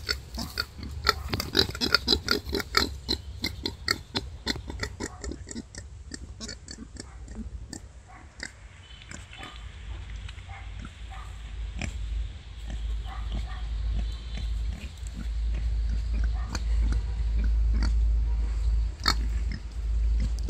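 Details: A wild boar sow that has just given birth to five piglets, with rapid, rough grunts and short squeaky notes over a steady low rumble.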